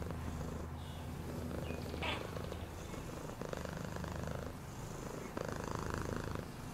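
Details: Domestic cat purring steadily, a low continuous rumble with even pulsing throughout, plus a brief higher rustle near the two-second mark.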